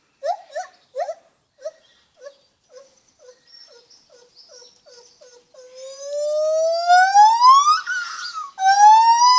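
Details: Lar gibbon making funny noises: a run of short hoots that soften and slow, then a long smooth note gliding steadily upward, breaking off and resuming at a lower pitch.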